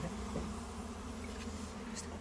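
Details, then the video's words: Honey bees nesting in a goat shed on a farm, sought for local honey: a continuous low drone with stacked overtones, steady throughout, with faint background hiss. "inside the goat’s shed honey bee"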